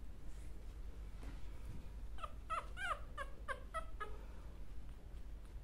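A Chihuahua gives a quick run of high, thin whimpers, each a short whining note.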